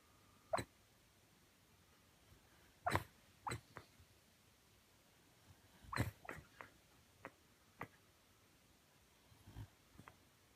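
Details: Sleeping Shiba Inu, eyes half open showing white, mumbling in its sleep: soft, clipped huffs and small squeaky yelps in scattered clusters, with longer silent gaps between them in a quiet indoor setting.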